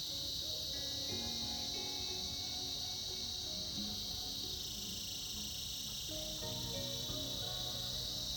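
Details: A winter chorus of cicadas: a continuous shrill buzz that shifts slightly in pitch midway, layered over gentle melodic music in the background.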